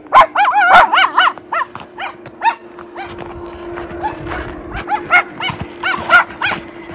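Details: Miniature Schnauzer brothers play in deep snow tunnels in Aroostook County, Maine, in January after two weeks of snowy weather; quick high yips and barks come in clusters, with a steady low hum behind them.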